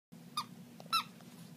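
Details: Puppy named Edgar making squirrel-like noises: two faint, high, tonal squeaks with bright overtones about half a second apart, over a steady low hum.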